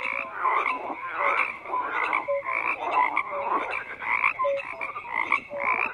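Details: Chorus of croaking frogs: raspy pulsed croaks repeating about twice a second, with short clear low tonal notes slipping between them, continuous and uninterrupted.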